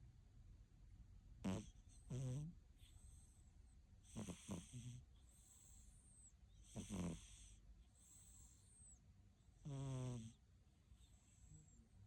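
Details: Siamese cat asleep, snoring and snorting loudly: broad, rattling low snores in bursts about every two to three seconds, some with a buzzy pulsed texture, separated by quiet breathing.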